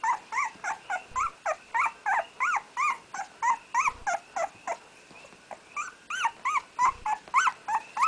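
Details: Newborn puppy named Red, first born of Aina's first litter and first to open his eyes, crying while learning to walk; rapid repeated rising-falling whimpers about three per second, with short pauses, and a soft reassuring human voice nearby.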